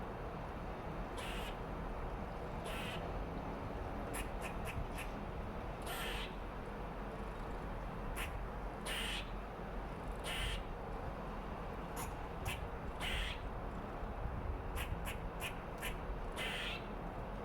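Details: A red squirrel scolds rival squirrels and marks its territory with loud rasping chatters, single or clustered bursts spaced a second or two apart against constant low-pitched background noise.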